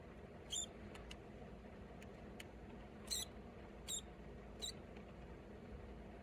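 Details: Live juvenile mouse caught in the jaws of a Pacman frog, struggling to break free: brief, sharp high squeaks, four main ones spaced roughly a second apart with fainter clicks between, over a steady low hum.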